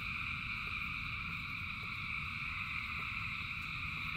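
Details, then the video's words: Massed frog chorus in the rain, countless callers blending into an unbroken high ringing drone over a low patter and rumble of rain. "Frogs in Rain 2 Hours of Frogs, Thousands of Frogs Singing"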